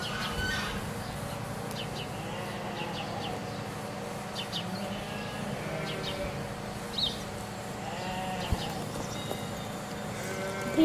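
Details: Lamb at the Ishachok peasant farm, kept among emus, young goats and other lambs and fed fresh grass; short wavering bleats rise now and then over steady background music, with scattered high bird chirps.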